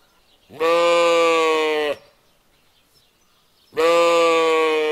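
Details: A lamb sheep gives two loud, sustained bleats with a slightly quavering tone, each over a second long, about three seconds apart.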